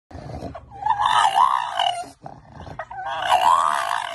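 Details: A French Bulldog "talks" for the camera during a photo shoot, making two drawn-out, wavering groan-howls, each rising and falling in pitch like grumbling speech.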